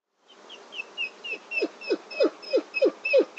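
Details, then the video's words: Wolf whimpering: a run of short, falling whines, roughly three per second, each dropping steeply in pitch with a thin higher overtone, growing louder through the series; otherwise quiet. "Wolf Whimper"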